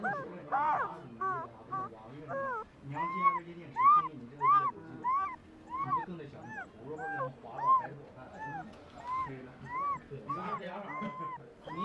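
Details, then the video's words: Sleeping male puppy whimpering through a dream: rising-then-falling squeaky whines repeated roughly every half second to second, fairly steady in rhythm, some thin and high, some fuller, over a low soft murmur. "Puppy dreaming and making cute/weird sounds"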